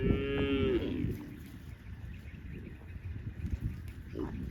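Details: On vast green rice fields, with cowherds heading to the farm, a cow gives one clear, tonal moo lasting under a second, followed by quiet low rustling and a faint sound near the end.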